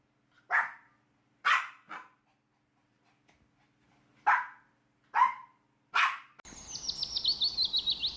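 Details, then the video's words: Sharp, loud barks from puppies playing outdoors on grass, five barks spaced irregularly about a second apart, followed by a cut to a rapid, high trilling birdsong. "Dog barking sounds"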